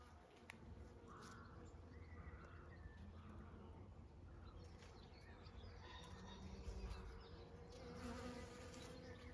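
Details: Many kinds of bees pollinating bluebells, privet and cotoneaster on a regenerative farm in County Kilkenny, Ireland; a steady, low droning hum fills the air, with faint bird whistles above it.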